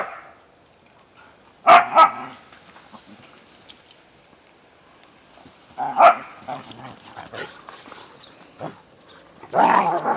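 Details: Whippets and a rat terrier named Mikey, Kieran, Wiley and Zoe romping in the first light snow of the season; three short, sharp bark bursts, at about two, six and ten seconds, with quiet gaps between.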